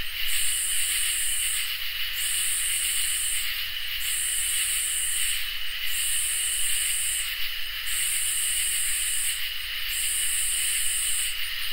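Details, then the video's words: Crickets and katydids singing on a summer night: six evenly spaced, rasping high bursts, each roughly a second and a half, sit over a constant piercing trill and a low, dull rumble. "Crickets and Katydids in Summer | Ambient Night Chorus"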